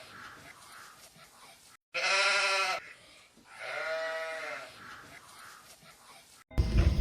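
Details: Sheep giving two drawn-out bleats, the first strong and nasal with a slight waver, the second longer and lower with a quavering fall, over a hissy background; an abrupt loud cut of noise closes the recording.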